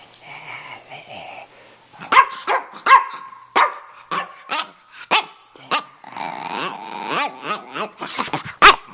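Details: A male red, rough-coated Brussels Griffon about two and a half years old, at home in Miami, 'talks' in a run of throaty, growly yips and moaning harmonic whines that rise and fall, with short sharp bursts in between.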